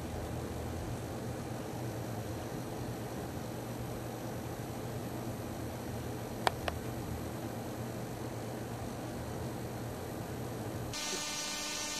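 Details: Quiet room hum with a couple of faint clicks and a brief tonal burst at the end; no animal voice.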